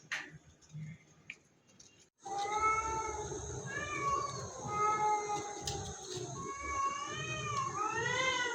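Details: Domestic cat giving drawn-out, wavering meows after a quiet start with faint indoor noises; the calls rise and fall in pitch, run almost continuously and grow more strained toward the end.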